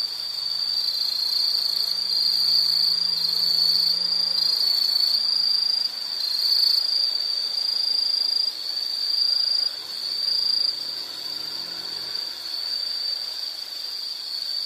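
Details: Shrill, continuous insect trilling at a high pitch dominates, with brief pulsed phrases layered above early on and a faint low drone beneath during the first seconds.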